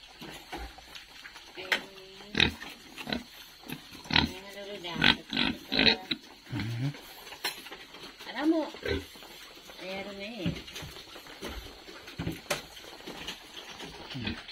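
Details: Domestic boar on a farm giving a run of short harmonic grunts and squealing oinks, some rising and falling, in uneven bursts with brief pauses, plus a few sharp clicks and light background noise.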